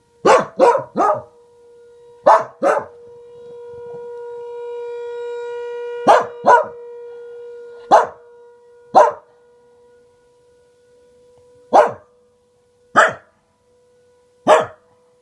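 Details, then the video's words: A Welsh Corgi called Reina reacts to a tornado siren with sharp single and paired barks spaced irregularly, the siren's steady tone rising and fading behind her. "Welsh Corgi barking and howling at tornado siren"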